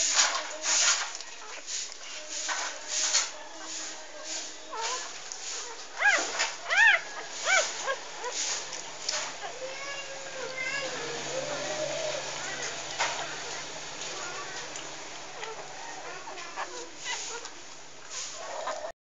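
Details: Maggie, an English Bulldog, nursing her first litter: six pups, three female and three male, aged three days. Shrill rising-falling whimpers and squeaks come in bunches over soft suckling clicks and shuffling, easing to quieter mews toward the end.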